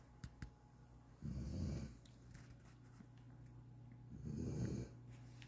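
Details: A nine-month-old German Shorthaired Pointer snores while napping, with low, rumbling breaths about three seconds apart.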